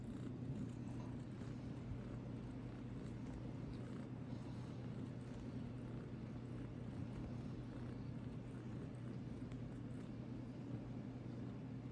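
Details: Quiet steady low hum and soft broadband background, without any distinct animal call.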